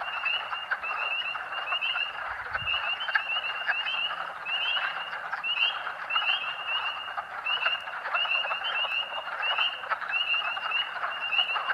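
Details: Spring peeper chorus of thousands along Colerain Road, Rothrock State Forest, Pennsylvania, March 2012, audible for almost half a mile: high upslurred peeps repeating rapidly from many frogs at once over a continuous wash of distant calls, one brief low thump.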